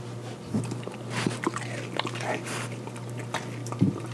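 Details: French Bulldog indoors eating Rice Krispies treat cut into small pieces, his first time trying it; crunchy bites and wet chewing clicks in scattered bursts over a steady low electrical hum in a small room.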